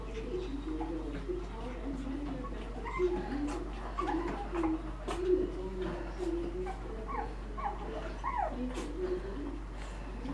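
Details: Seven-week-old Shih Tzu puppies from Pebbles' litter: a steady stream of high, squeaky whimpers and short rising yelps, overlapping one another throughout, over a low constant hum.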